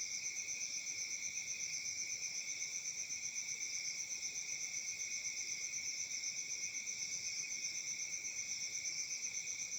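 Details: Summer night in Africa with a dense cricket chorus, an unbroken, piercing trill of rapid, regular pulses at roughly four per second, two layered high tones, and no other sounds.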